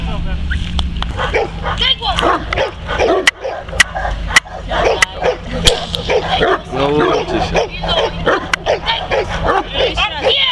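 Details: Working Neapolitan Mastiff protects his owner from several agitators. Loud, harsh barks come in rapid, irregular volleys, with sharp knocks and a man's voice in between.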